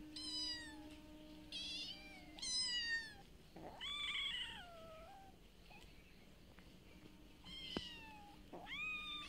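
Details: Street cats fed every day, calling around feeding time: a series of repeated meows, some short and bright, others long and falling, about six calls with pauses between, over a low steady hum.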